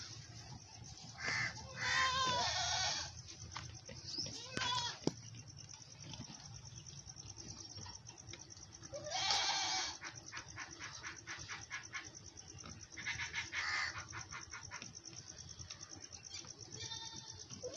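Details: Mother goat on a farm feeding milk to her big male kid; several loud, harsh, quavering bleats near two, nine and thirteen seconds, separated by quieter stretches of shuffling and faint human voices.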